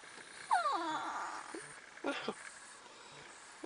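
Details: Two pet dogs, Sofia and Isabel, sit waiting in a van that would not start on their daily drive. One gives a long whine that slides downward from high to low, then a shorter, rougher whimper follows. Quiet engine-like hum underneath.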